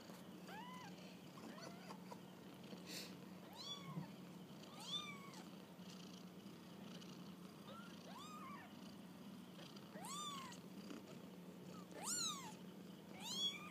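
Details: Kittens on their first walk about, giving repeated high arched mews with rich harmonics, roughly one every second or two, some louder and sharper toward the end, over a steady low hum.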